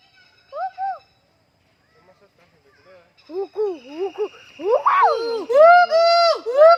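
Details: A gibbon at Sepahijala zoo hoots: clear, arched whoops that quicken into a rising series of long, ringing notes.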